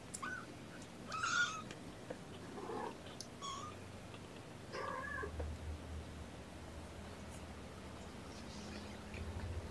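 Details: Kittens in a lap during a morning syringe feeding of formula: a series of short, faint, high mews spaced a second or so apart over a steady low indoor hum.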